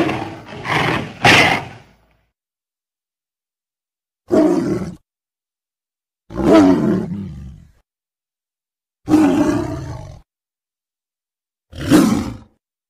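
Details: Tiger roaring in separate bursts: three quick rough roars close together, then four single roars spaced by about two seconds of silence.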